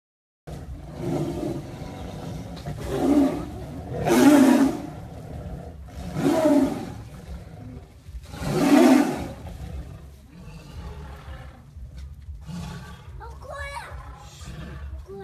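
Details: Tigers fighting, trading deep, rough roars and snarls in four loud bursts over about nine seconds, then quieter growling with a few higher strained cries near the end.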